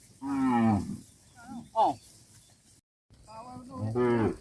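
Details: Dozens of tame cattle guided back to a farm pen: a full low moo, then short higher wavering bleats, a brief silent break, and another deep, strong moo rising at the end.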